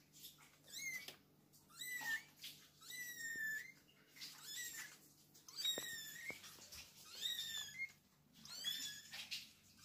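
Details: Kittens with their mother cat indoors, giving high, thin mews that rise and fall in pitch, several callers overlapping in bursts about every second or two, with soft rustling between calls.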